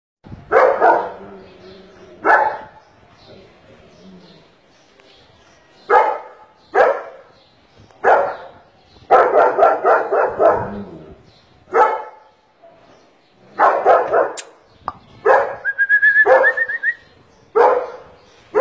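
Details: ['Male German Shepherd with a black face and double coat, barking in irregular bursts of short, rough woofs, several in quick runs, with pauses between volleys; a brief thin whistle-like tone near the end.']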